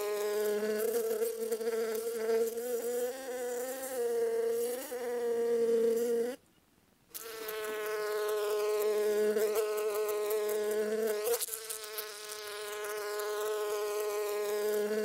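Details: Sustained wing buzz of a honey bee, a droning, overtone-rich hum that shifts gently in pitch, with a half-second silent cut near six seconds and short lower humming bursts coming and going afterwards.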